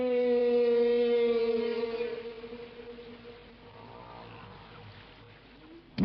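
A humpback whale sings a long, low, slightly falling moan rich in overtones, which then fades away.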